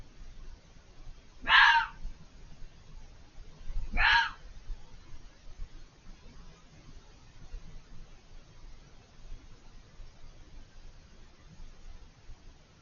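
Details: Fox out of view beyond a hedge, repeatedly vocal: two rasping, shrieking screams spaced about two and a half seconds apart, followed by roughly eight seconds of low background noise.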